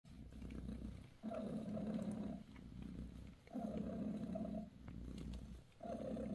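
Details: Bassy, a British Shorthair mother cat, purrs while massaging her kittens. The purr is low and steady, rising and falling with each breath in long swells roughly every two seconds, separated by brief quieter gaps.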